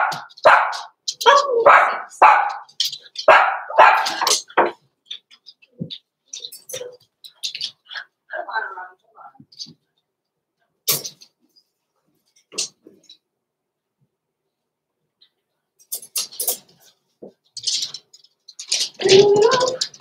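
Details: Young blenheim Cavalier King Charles Spaniel puppies, six weeks old, barking rapidly in a busy run of yaps and yips, then quieter clatter and a renewed flurry of barking near the end inside the home pen.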